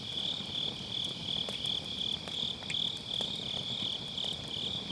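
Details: Grass insects calling on an autumn night near a campfire in a round fire pit, MKE600 microphone with low-cut: a bright, high trill broken into quick regular pulses, with faint wood crackles scattered throughout.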